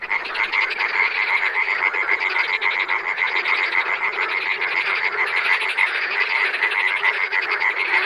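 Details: Frogs heard in the wild, calling together in an unbroken chorus of fast, rattling pulsed croaks, layered and steady for the whole stretch, with a thin whistled tone running underneath.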